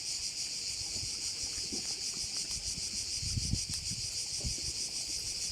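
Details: Cicadas buzzing over a Korčula bay in Croatia, a continuous high rasping pulse with scattered low bumps of wind noise on the microphone in the middle.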